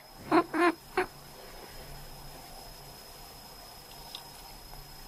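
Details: Sleeping male cat giving quack-like calls when his owner coughs: three short, nasal, duck-like honks within the first second, then near silence with a faint steady hum and one soft click.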